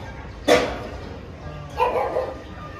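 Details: Dogs playing together at a dog hostel in Jodhpur; two sharp, harsh barks about 1.3 seconds apart, the second softer and drawn out, over low room noise.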